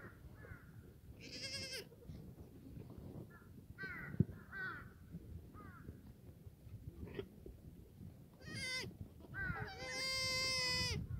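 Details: Black goats in a farm exercise yard in Gimhae, South Korea, on a sunny Sunday morning, 31 March 2019. Several goats bleat in turn: wavering, nasal cries, some short and some drawn out. Steady rustling and shuffling fill the background.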